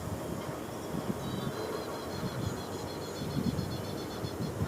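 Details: Steady low rumbling noise like a passing vehicle or train, with faint high tones drifting in the middle and no animal voice.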